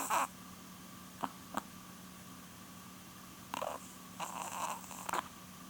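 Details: Nearly twelve-year-old female Chihuahua named Porun snores in her sleep: a short noisy snort at the start, then a cluster of longer rasping breaths near the end, with a steady background hum.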